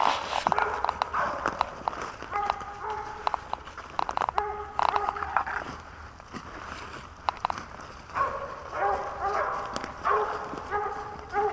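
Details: Hunting dog barking during a squirrel hunt in Pennsylvania in 2021: short, tonal, harmonic barks in repeated bursts, with a man talking about a squirrel in a tree and footsteps throughout.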